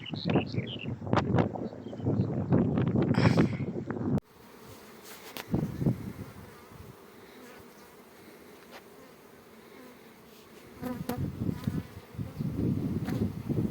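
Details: Honey bees at an apiary kept as a beekeeping business: loud knocks and handling noises first, then a steady low droning hum from the hives with a few clicks, and a man's voice near the end.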